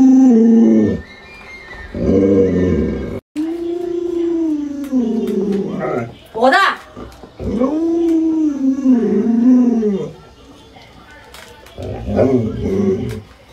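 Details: Alaskan Malamute Luoluo reacting indoors to its owner sick in bed, giving drawn-out, arching howls that rise and fall in several long phrases separated by short pauses, with some human speech mixed in.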